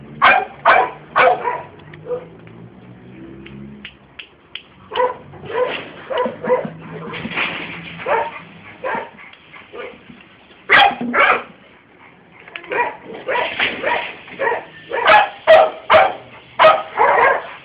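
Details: Scottish Terrier barking persistently in rapid bursts of sharp, high yaps, roughly two per second with brief pauses, a low background hum early on.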